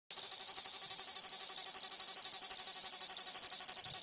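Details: Cicadas singing in the south: a loud, shrill, high-pitched buzzing that pulses steadily about three times a second throughout, with no other clear sounds.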